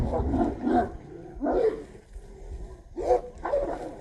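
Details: Two or more street dogs fighting over a female snarl and growl in rough, throaty bursts, roughly one every second or so, against a steady low rumble.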